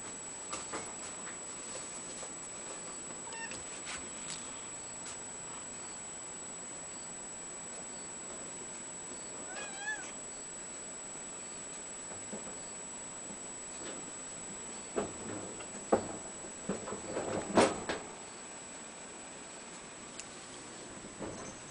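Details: Four-week-old Ragdoll kittens, including a seal point male born 29 August 2011, give faint, high, wavering mews among soft rustles and clicks, with their seal point mitted mother present.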